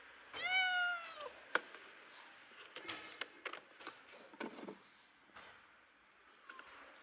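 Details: Abandoned kitten, left two days in the snow at -11°C before rescue, gives one drawn-out meow with a slightly falling pitch, followed by indoor rustling and handling noises.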